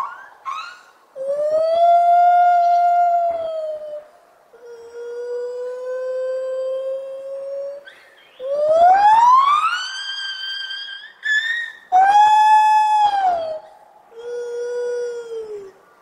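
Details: Morning gibbon song made of long, loud, pure sustained notes, one sweeping steeply upward before leveling off, with brief breaks between notes.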